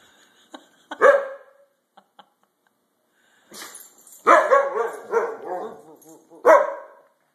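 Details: Siberian Husky, a pet dog, talking after bath time; short whiny yowls near one second, then a longer run of warbling, wavering howl-like talk with rising and falling tones, ending in a sharp yelp.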